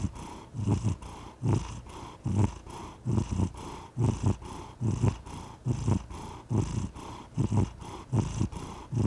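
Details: Low, throbbing purr of a domestic cat, pulsing in strong and softer phases with each inhale and exhale, around seventy cycles a minute, recorded close up.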